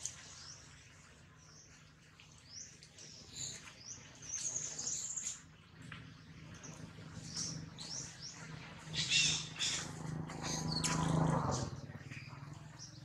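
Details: Jinx, a baby monkey, cries loudly after being bitten hard by another monkey, Jade. Rapid high-pitched arching squeals and whines repeat densely, swelling louder toward the end over a constant low hum.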